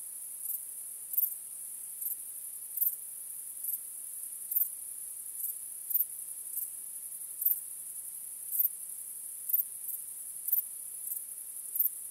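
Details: High, sustained cricket trilling at night, with evenly repeated louder chirps roughly every second across the stretch, set against calm silence.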